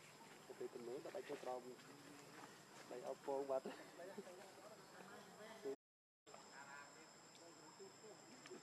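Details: Hungry baby macaque named Leo crying as it begs its mother for milk; short bursts of wavering, harmonic whimpering cries come in clusters, loudest around three seconds, with a brief silent break near the end.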